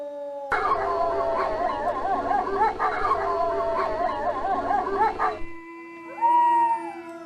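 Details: Several wolves howling together in a dense chorus of overlapping, wavering voices, some quavering up and down rapidly. The chorus stops abruptly. A lone, smoother howl and a steady low tone follow.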